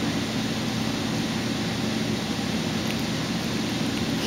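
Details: Steady broadband hum like an air conditioner or engine fills the whole stretch, with no animal voice.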